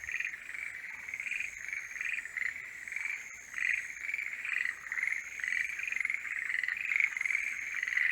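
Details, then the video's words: Forest green tree frogs in full mating-season chorus, many overlapping croaking trills that form an almost unbroken rattling wall, with louder surges near the end and a faint high tone. "モリアオガエルの鳴き声(Forest green tree frogs are singing)"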